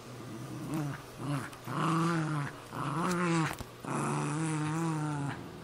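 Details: Cairn Terrier versus Jack Russell Terrier, pet dogs fighting over a golf glove; several rolling, wavering growls, each about a second long, come in quick succession with brief gaps and a soft click between them.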